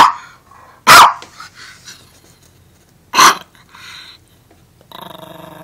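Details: Armani, a pet dog defending his Beneful food bag, lets out two loud, abrupt barks about two seconds apart with soft grumbling between, ending in a rough, sustained growl.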